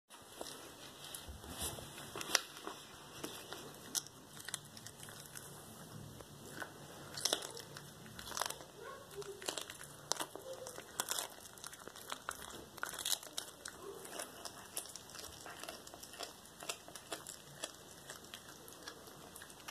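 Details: Cracker, a black tabby cat, devours a whole small rat as raw prey indoors, recorded 13 February 2022; steady quiet crunching and wet tearing clicks run throughout, with occasional sharper bone-cracking snaps and faint low murmuring.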